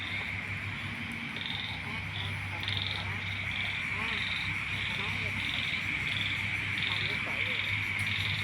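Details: Frogs and small toads calling in rice fields: a dense, steady chorus with a continuous high trill, overlaid by short repeated croaks and chirps, a low hum, and a man speaking Lao softly before and after.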